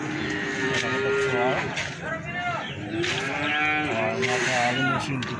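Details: Feeder cattle at a livestock market in Plaosan, Magetan, several animals lowing in overlapping, harmonic moos that swell and sag in pitch, some rising then falling, amid a murmur of market voices.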